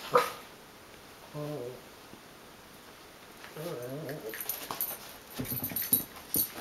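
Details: Two dachshund mixes, a wire-haired dachshund mix and a Schipperke/dachshund mix, play together, giving wavering, low play growls amid scuffling and a few sharp yips.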